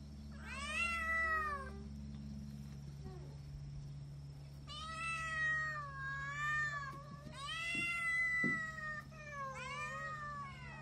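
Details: Indoor kittens crying in long, wavering meows, some overlapping, sliding down then up in pitch, with short gaps between calls and a constant low mechanical hum underneath.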